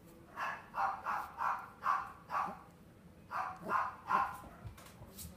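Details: Miniature Schnauzer in a Machida, Japan pet shop barks in two quick runs. Nine or so short, sharp, mid-pitched barks come at roughly two or three per second, with a brief pause between the runs.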